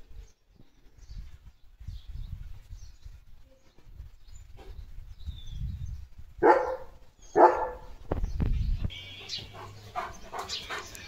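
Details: German Shepherd Leo, a pet, clean after a bath: mostly quiet low rumble, then two sharp, separate barks about a second apart, followed by hissing, rustling household noise.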